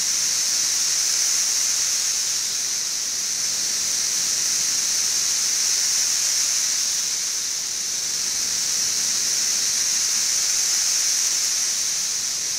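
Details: June 2008 in central Kentucky's Frankfort: the 17-year periodical cicada brood XIV, which emerged in late May, fills the air with a continuous shrill, hiss-like drone that rises and falls slowly across the whole stretch.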